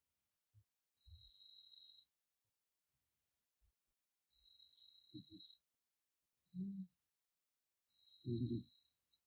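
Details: A raccoon called Gaettongi asleep and snoring: drawn-out whistled nose tones punctuated by sharp high squeaks, then gruff snuffling snorts, separated by short silent pauses.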